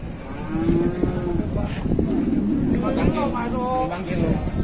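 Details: Big superior-grade cattle in Bateni, Indonesia, loaded onto a truck and taken off again; a low, level moo of about half a second, then overlapping voices of men and engine rumble.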